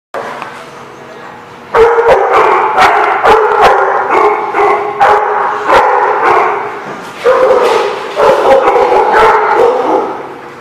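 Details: Dogs bark loudly and rapidly in a dense, overlapping volley, several barks per second with little pause, after a quieter opening; faint voices underneath.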